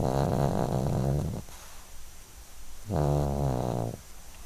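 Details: Twelve-year-old Yorkshire terrier asleep and dreaming indoors, snoring in long, low, rough, rattling breaths, one about a second and a half long, a quiet pause, then another about a second long, over steady room hiss.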